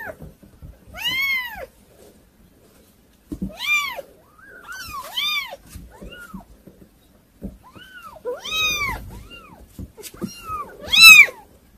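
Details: Several kittens hard to control, calling with scattered arched mews, some loud and some faint and overlapping, separated by short pauses, in a small indoor space.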